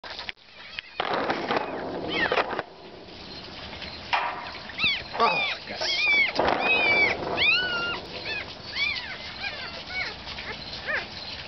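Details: Harry, a one-week-old puppy with a cleft palate, gives a run of thin, high, arching squeals in the middle stretch, each bending up then down. Muffled rustling and broad bursts of noise come before them.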